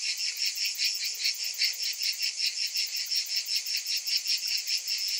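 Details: Many cicadas calling together in summer heat: loud, high, pulsating drone throbbing about two and a half times per second, evenly sustained throughout.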